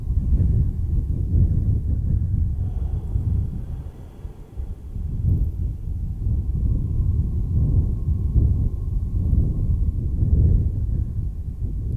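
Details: A low, continuous rumble fills the whole stretch, like wind buffeting a microphone or a distant vehicle. No animal call can be picked out.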